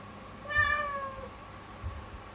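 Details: Single meow from the kitten Yukimi, calling out in the morning in a startlingly fearful tone; one smooth cry of under a second that drifts gently down, with faint low thumps and room hum.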